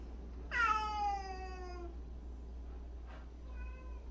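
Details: One of 76 rescued street and abandoned cats lets out a loud, drawn-out meow that starts high and slides down over more than a second, then a brief, quieter second meow follows, against a low steady hum.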